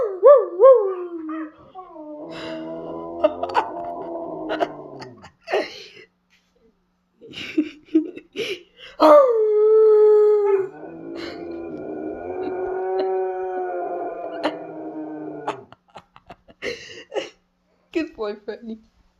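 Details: Pet Siberian Husky producing a run of playful vocal sounds: wavering, yodel-like howls and drawn-out whining moans, with sliding pitch and short yips between longer tones, several separate bursts across the clip, indoors.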